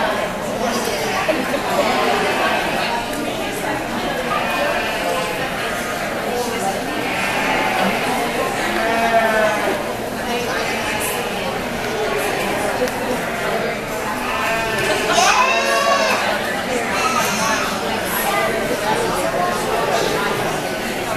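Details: Angora goats being judged at the Black Sheep Gathering in Eugene, Oregon, on June 22, 2013; several wavering, nasal bleats rise above steady crowd chatter and hall noise, the clearest near the middle and again late.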